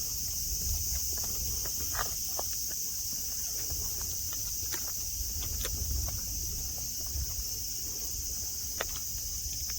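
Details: Cicadas sing at Nara Park, Japan, under blue sky amid green mountains and grass with friendly deer nearby; a steady, high, hissing drone runs throughout, with scattered soft clicks and footsteps.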